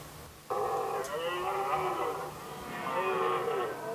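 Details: Red deer stag in the rut, Västmanland, Sweden, 2010, competing for hinds: a sudden deep, hoarse roar bursts in after half a second of quiet, drawn out with wavering harmonics, then a second roar swells.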